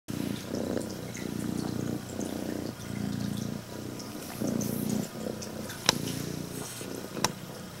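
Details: Female prick-eared Scottish Fold cat, red tabby and white, purring loudly like an engine while greeting its owner indoors; a low rumbling purr swells and fades in breath-paced bursts roughly every second, with a few sharp clicks near the end.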